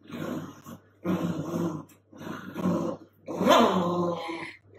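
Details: A female sausage dog caught in a duvet grumbles in three long, rough, throaty growls separated by short pauses, with a constant low hum in the background of a small indoor room.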